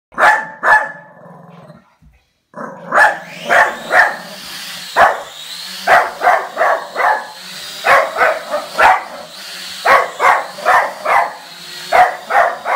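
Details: Dog barking at a drone: a brief pair of barks, a short pause, then a long run of sharp, loud barks, often in quick clusters of two to four, with a steady high whine underneath throughout.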